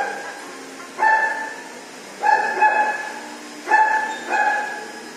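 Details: Dog scared at first while being showered, uttering four steady, tonal whimpers, each starting suddenly and fading, spaced roughly a second apart against low background hum.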